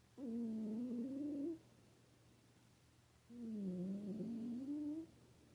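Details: A pet cat snoring: two drawn-out voiced breaths, each about a second and a half, a wavering low tone with stacked harmonics that dips then rises, spaced roughly three seconds apart over a faint steady room hum.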